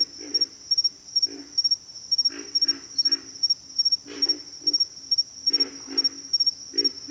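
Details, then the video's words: Low, hoarse grunts from pig frogs come in pairs and short clusters, fairly loud, against an unbroken high-pitched trill of insects. "pig frogs - sound effect"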